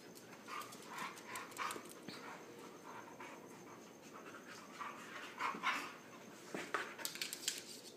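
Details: Husky pup panting hard amid wrestling play with other dogs: quick rhythmic breaths, around four per second, mixed with snorts and scuffles, a person cooing about how cute they are.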